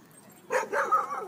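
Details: Dogs playing at a dog park: a short burst of barking, two or three quick yelping barks within about a second, with a man's voice calling the dogs nearby.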